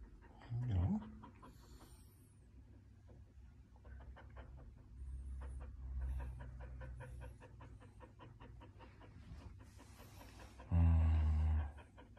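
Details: Blue merle Border Collie named Valentino, 18 months old, panting indoors: rapid, steady rhythmic breaths in a long run, with brief human speech at the start and end over a low hum.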